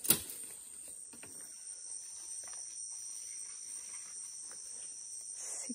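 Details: Cicada singing in the Amazon rainforest near Lago Amanã while straw is carried to build a shelter: a steady, unbroken high-pitched whine runs the whole time, with faint rustling and footsteps beneath.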